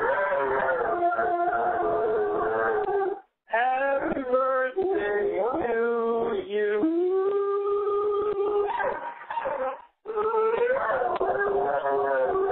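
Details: Pet Dobermann howls a birthday greeting into a phone voicemail, yodeling with sliding, wavering tones that rise and fall, several drawn-out notes separated by brief gaps, the sound thin and boxy like a phone line indoors.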